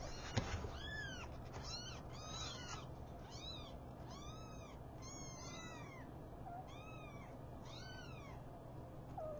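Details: Five newborn kittens being woken by their mother cat: a run of high, bright arched mews repeats roughly every half second to second, each rising then dropping, with a low constant hum beneath.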